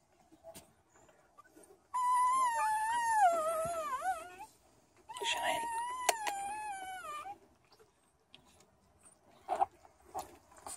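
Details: American Staffordshire Terrier two days after giving birth, indoors, giving two long tonal whining wails with wavering pitch, each lasting about two to three seconds, separated by a short pause, with faint clicks and rustling around them.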